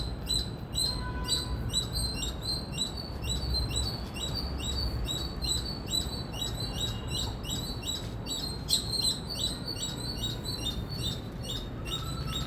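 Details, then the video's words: A long run of loud Indian squirrel chirping: bright, sharp chips repeated quickly and evenly for over twelve seconds, with a brief faint lower whistle early on and a continuous low rumble. "Loud Squirrel Chirping Sound"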